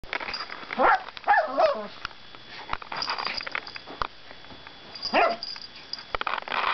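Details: Pet dog barking, growling and making all kinds of funny noises: short, harsh, harmonic yelping barks near the first and second seconds, a lone bark after a pause, and faint rustling in between.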